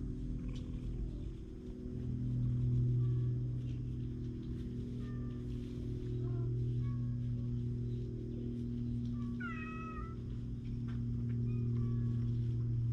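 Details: Friendly stray cats seeking attention on a cat island, captured with a GoPro HERO8: a run of short meows, one sharper call near the ten-second mark, above a steady low humming drone.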